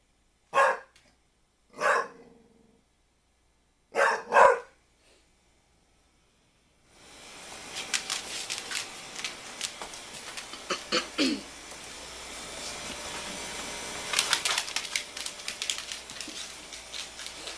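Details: Pit Bull barking at a basketball: three sharp barks in the first five seconds, the last a quick double, then the dog falls quiet as a long stretch of clattering, hissy indoor noise takes over.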